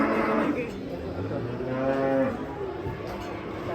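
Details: Cattle being unloaded from a truck, said to be agitated and rampaging: low drawn-out moos with steady tonal bands, one about two seconds in, over a noisy background with men talking and shouting.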